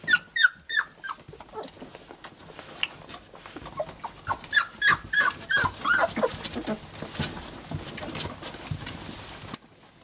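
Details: Airedale Terrier puppies, 18 days old, crowding their mother for milk. High squeaky whimpers and yelps come in quick overlapping bursts, densest early and mid-clip, then give way to shuffling and rustling before a quiet end.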